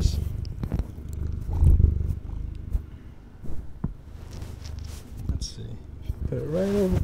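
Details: A female kitten, about eight or nine months old and 11 lb, purrs in a low, steady rumble on a man's lap, partly masked by microphone rubbing and his voice.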